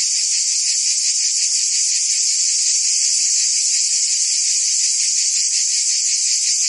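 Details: Summer cicada chorus from Provence, France, a steady high-pitched shrill drone with rapid rhythmic pulses, many insects blending into one continuous wall of sound.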